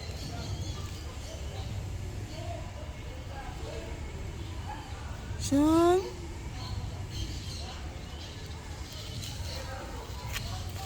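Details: Domestic cat giving one loud, brief meow that climbs in pitch with rich harmonics midway through, set against a steady background murmur and faint voices.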